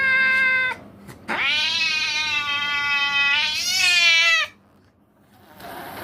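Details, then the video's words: Angry cat giving a short harmonic yowl, then after a brief pause a long, drawn-out, steady yowl of about three seconds that swells and rises near its end before cutting off into near silence. "The Angry Hissing Cat"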